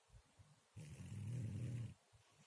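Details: Murzik the cat snores in his sleep: one deep, droning, slightly rattling snore of about a second, with quiet low breathing before and after.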